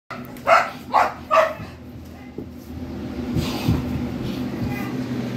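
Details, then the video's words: Saint Bernard barking: three loud, deep barks about half a second apart, followed by a steady low engine-like hum and faint voices. "Saint Bernard Is Barking"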